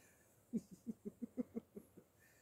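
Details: Parson Russell Terrier Lenny, registered as Attractive Aramis of Green Spirits, visiting his new friend Mackie: a quick run of about nine low, rhythmic panting breaths over one and a half seconds, evenly spaced, in a quiet room.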